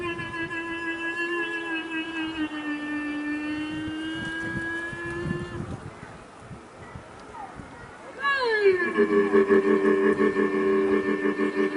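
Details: Camel letting out a long, steady, tonal moan with a rich stack of harmonics for about five seconds, a quieter gap, then a second louder cry that drops sharply in pitch and holds on a buzzy, vibrating tone.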